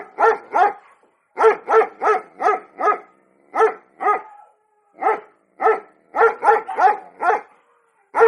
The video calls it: barking sound of cute pomeriyan dog